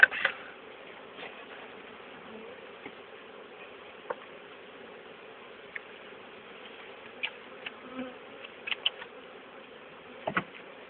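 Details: Honey bee swarm from an old queen, caught and re-hived the next day into a small-entranced poly nuc, late April 2011, bees marching up inside; a steady low droning hum with scattered light taps and clicks.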